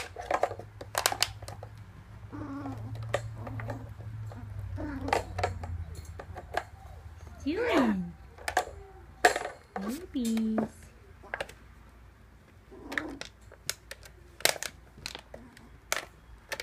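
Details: Three-week-old whippet puppies waking up in the morning: a few short high whines that rise then slide downward, scattered among sharp clicks and knocks, with a person speaking at the start and low rumbling background noise.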